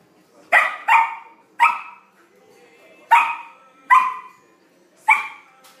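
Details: Flake the Samoyed puppy barks while playing with his first big ball: a quick pair, a third bark, a pause, then three spaced single barks, all high and sharp.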